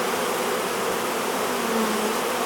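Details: Honey bees of a hived swarm crowding into the hive entrance, fanning in a rush; thick unbroken buzzing hum with a slightly sliding lower tone toward the end.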